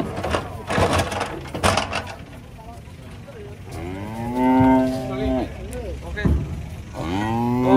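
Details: Cattle being unloaded from a truck, lowing in long harmonic moos with a falling-then-level pitch, two clear calls in the second half; earlier part has knocks, clatter and a man talking.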